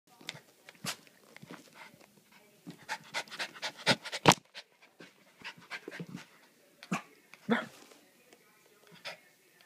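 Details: Havanese puppy playing with her dog walker and giving kisses during a mid-day visit: soft, rapid panting and wet licking clicks, with sharp handling noises and a woman's voice praising her.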